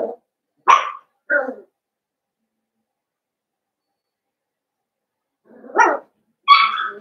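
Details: Blenheim Cavalier King Charles Spaniel puppies, part of a litter of five born at New Year, in the Red Barn Cavaliers puppy pen at home. Short sharp yips come in two bursts of two or three, separated by a long quiet gap.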